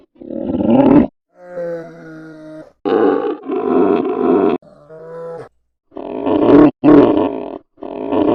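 A polar bear gives loud, rough grunting bursts alternating with softer, tonal moaning calls.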